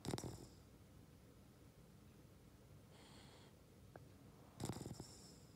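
A Boston Terrier snores, with rough, rattling breaths spaced a few seconds apart.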